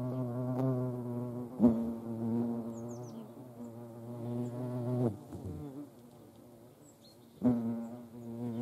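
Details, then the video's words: Hornets and ants at a feeding spot in Dohr, Eifel; a rich low buzzing hum broken by several sharp clicks or knocks, with faint high bird notes in the background. "Hornissen und Ameisen am Futterplatz"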